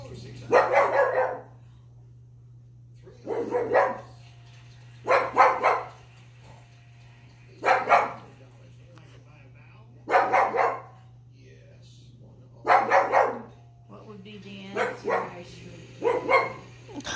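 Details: Young pug, one year old, barking at Wheel of Fortune on TV: loud rough barks, single or doubled, repeated roughly every two to three seconds, with a constant low electrical hum and faint television speech in the gaps.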